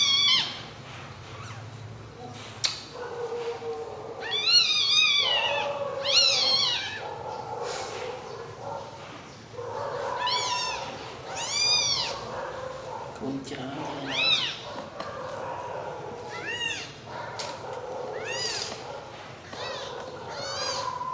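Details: Newborn kittens sleeping together after milk give high, arched mews that rise and fall, about a dozen calls spaced irregularly over the stretch, with a low murmur of voices and background noise underneath.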